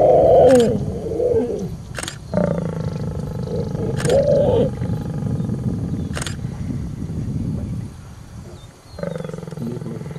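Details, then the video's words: Lions in Serengeti National Park, Tanzania, around a brief mating; deep moaning roars and growls come in short bursts of one to two seconds, separated by sharp clicks, over steady low rumble of a vehicle engine. "lion love"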